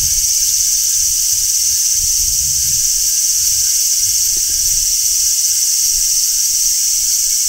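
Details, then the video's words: Large brown cicada in midsummer on a tree, giving a steady, loud, high-pitched sizzling drone that never varies in strength, with light low-pitched background noise. "Cicadas Singing in Midsummer | Large Brown Cicada"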